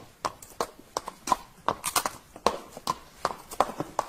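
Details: Galloping horse: sharp hoof strikes land in quick irregular clusters, roughly three per second, each a broad percussive thud with a brighter click, in a dry close-up recording without vocal calls.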